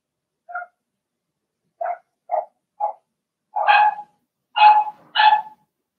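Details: Cavalier King Charles Spaniel puppies, a Blenheim litter of two females and four males in a home pen, giving soft isolated yips that swell into three louder, longer barks near the end.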